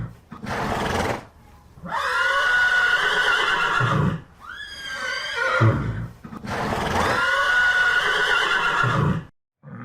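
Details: A horse neighs loudly several times, each call a long, shrill whinny that quavers and falls away.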